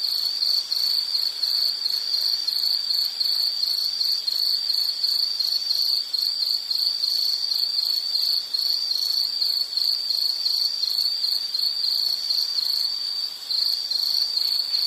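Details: Nature sound of an insect: a shrill, rapidly pulsed trill at constant high pitch running nonstop, with a brief dip in loudness near the end and soft background noise.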